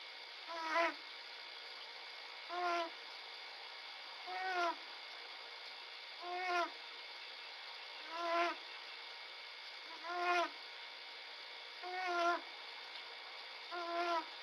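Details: Young bobcat sleeping and snoring, recorded 11 February 2017: a nasal, harmonic snore roughly every two seconds, each short rasping breath rising then dropping, eight even repeats over a quiet background with a faint steady electronic hum.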